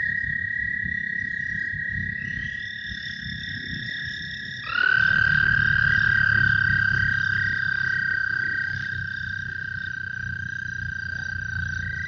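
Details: Group of American toads in Iowa, almost deafening and audible far from the water: long, steady, high musical trills overlapping into a loud continuous drone.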